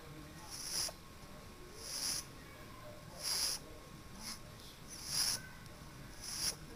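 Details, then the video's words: Sezen the pug snoring loudly, a steady series of raspy, hissing snores coming roughly every second and a bit, each a short breathy burst, with faint background hum. "Snoring Pug"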